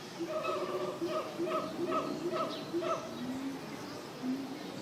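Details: Monkeys at a zoo give a rapid run of short, tonal hoots, followed by a couple of lower, drawn-out calls.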